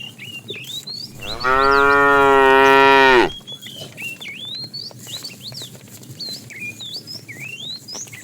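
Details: ['A fat cow calls to the female during afternoon herding of tame cattle, giving one sustained, even moo of nearly two seconds that cuts off abruptly, followed by many sharp rising bird chirps.']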